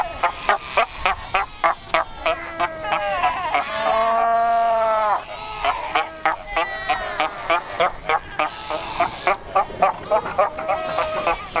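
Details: Huge Cape fur seal colony at Cape Cross, Skeleton Coast; a steady rhythm of clipped barks about three per second, broken by a loud sustained harmonic bleat near the middle, many animals calling together.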